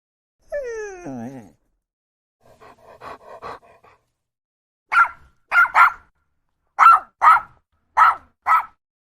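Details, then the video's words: Dog barking; dogs are said to sometimes growl too. A falling, whining call opens, then a soft run of quick yips, then eight sharp barks, mostly in pairs, about half a second apart. "woof woof that's a dog barking and sometimes they might even growl"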